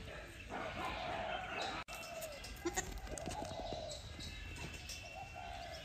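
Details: Lamb almost a month old, healthy and lively with long ears, on a rural farm where it is being kept for breeding; two drawn-out, nasal bleats, the first long and steady, the second shorter and wavering, over background rustling and knocks.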